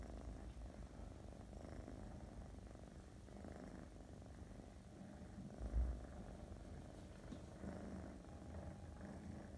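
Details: A female Russian Blue cat purrs steadily in a soft, low, continuous rumble.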